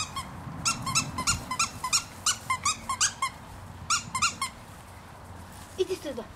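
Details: Three-month-old Giant Schnauzer puppies squeaking and whining in rapid high-pitched bursts, about three per second with short pauses between runs, over a low rumbling background.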